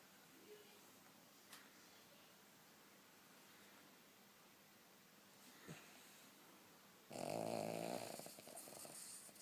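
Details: Lucky, a sleeping King Charles Spaniel, stays quiet in a still room for about seven seconds before one loud, rough, rattling snore that fades as it trails off at the end.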